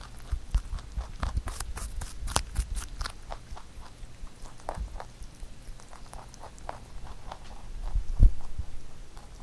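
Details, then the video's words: Huchu, a pet rabbit, crunches through a carrot songpyeon prepared for Chuseok, inside a small room; dense crisp bites early, then softer sparse chewing and one low bump near the end. "토끼 후추의 당근송편 먹방 ASMR / Rabbit eating sound with Carrot SongPyeon"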